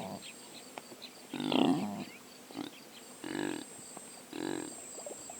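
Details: Impala, Aepyceros melampus, recorded in sub-Saharan Africa by a drop rig with a Sony PCM A10: three drawn-out, throaty grunting snorts, the first longest and loudest, followed by two softer ones about a second apart.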